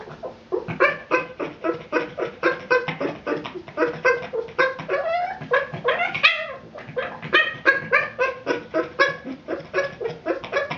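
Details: A male Boston Terrier, obsessive about his ball, lets out rapid, harmonic yips and whining barks, several each second, in frustration when it rolls out of reach.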